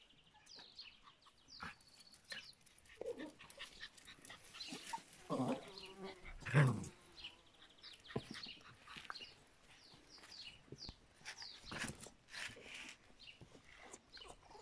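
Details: Yorkshire Terrier puppies, 51 days old, whimpering and yelping in short bursts, with a louder squeal cluster midway, amid soft clicks and rustling.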